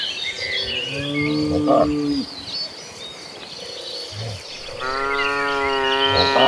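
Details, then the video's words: Cattle in a herd running toward green pastures: a long low moo sliding downward over two seconds, a pause, then a second rich, rising moo, while birds chirp continuously in the background. "A Herd of Gentle Cattle Running Toward Green Pastures, the Sound of Cows Mooing."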